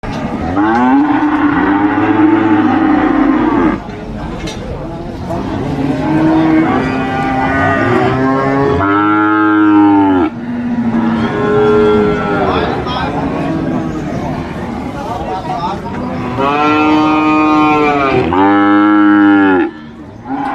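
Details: Large sacrificial cows (qurban) at a market give a string of long, loud moos. The moos are deep and harmonic, some rising then falling, several following one another with short gaps over twenty seconds.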